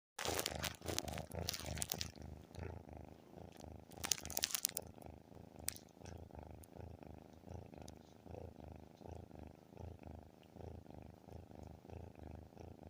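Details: Pet cat purring very loudly indoors, a steady rhythmic rumbling purr with pulses about three per second; rustling and crinkling noises at the start and around four seconds, then purring alone.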